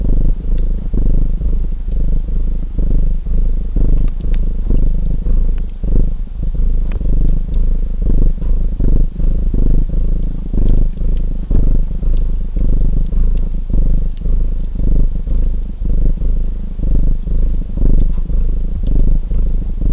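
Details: Steady deep purring of a domestic cat beside a crackling fireplace; the rumble throbs in breath-length surges while sharp pops and crackles of burning wood sound throughout.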